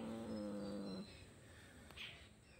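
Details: Two domestic cats fighting: a drawn-out tonal yowl with rich harmonics holding steady for about a second, then sliding slightly down before stopping; faint background hum afterwards.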